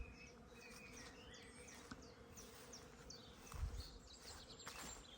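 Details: Honey bees at an apiary with nucleus colonies in a wet spring field, heard on arrival: a steady low droning hum fills the air, while scattered bird chirps and twitters sound above it.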